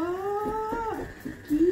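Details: Pet Labrador Retriever indoors giving a long, steady, tonal whine that rises slightly over about a second, then a short, upward-sliding whine near the end. Faint background noise.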